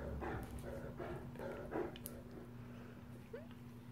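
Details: Male Great Danes roughhousing together at home: short throaty growl bursts and grumbles come in quick uneven runs, with a steady low hum underneath and one brief high squeak near the end.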